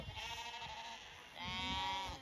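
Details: Zwartbles ewes (Ovis aries) being moved to a fresh pasture on a sunny summer day at a farm in County Kilkenny, Ireland, give two wavering, nasal bleats, the second louder and steadier; grasshoppers are plentiful there.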